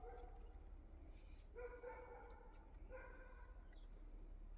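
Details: Yard cat calling: two clear, even-pitched meows roughly a second each, separated by a short pause, over a low rumble and faint higher hiss.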